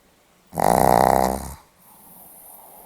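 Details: A single snore from a sleeping Pomeranian, recorded 8 November 2015: one rattling, rapidly pulsed rasp lasting about a second, then soft breathing in a quiet room.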